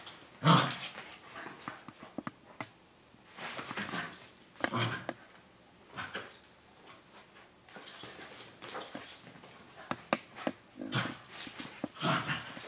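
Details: Older dog and puppy sister and brother, Senji and Chloe, wrestling in play at home; repeated short growling and whimpering bursts, uneven in rhythm, with scuffles and brief quiet stretches.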